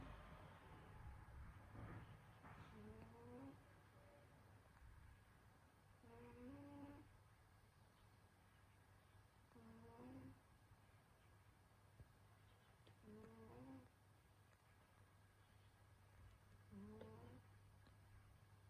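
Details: Betsy, a pet cat sleeping in winter, snoring: soft rhythmic breaths, each ending in a short rising, whistly squeak, repeating roughly every three to four seconds over a steady low hum.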